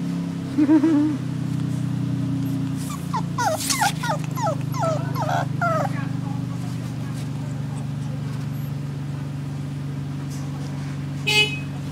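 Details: Terrier cross puppy in Malaysia giving a quick run of high, whiny whimpers that fall in pitch, clustered between three and six seconds, over a steady low mechanical hum, with a brief soft squeak near the start.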